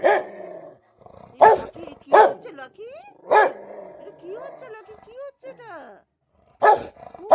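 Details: Rottweiler fighting with another dog, giving a few sharp, loud single barks spaced one to three seconds apart, with whines and a person talking excitedly in between.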